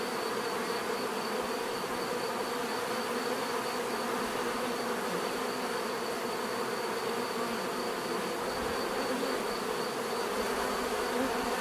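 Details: A mass of bees buzzing without pause, the thick droning hum holding an even level throughout, individual insects blending into one continuous murmur.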